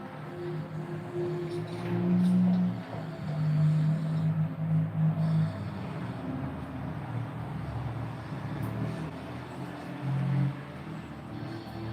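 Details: Low rumble of passing vehicles and faint background music with steady hum, no animal voices heard.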